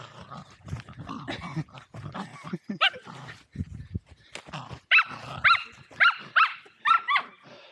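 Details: Two Welsh Terriers, Zorro and Zula, at play on Torgo Talu farm, Estonia, recorded with an Insta360 Go2; scuffling and grumbling noises give way to a run of about six high, sharp barks in the last three seconds.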